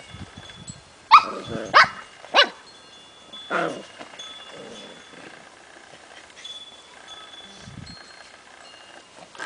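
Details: Tibetan Spaniel puppies, ten weeks old, playing with grown dogs, give a quick run of three sharp yelping barks followed by a lower bark, then mostly quiet with faint shuffling and a steady faint high tone.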